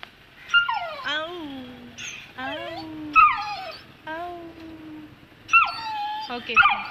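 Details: Frightened Saint Bernard puppy, two months old, refusing to go down stairs, whines over and over. Each cry starts with a sharp high onset and slides down into a drawn-out lower moan, about once a second. Brief yelps come near the end.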